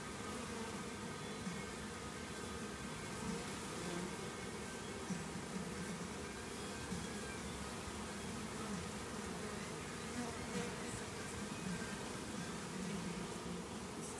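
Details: Crowd of honey bees from a hive being removed from an old hot water tank, giving a steady, dense low buzz that holds evenly throughout, with occasional individual bees zipping nearby.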